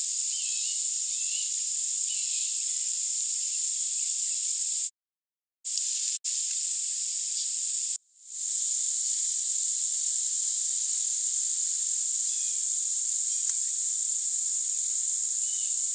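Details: Short-winged meadow grasshopper (Conocephalus brevipennis) stridulating, very high-pitched, boosted with equalisation: a steady hiss with short buzzy pulses repeating several times a second, broken by two brief silent dropouts near the middle.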